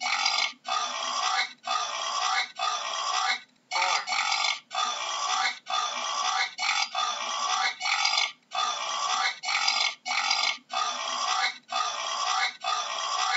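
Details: Wild boar giving harsh, raspy squeals in long bursts of about one second. Short gaps separate the bursts. The squealing runs almost nonstop, with no other sounds heard.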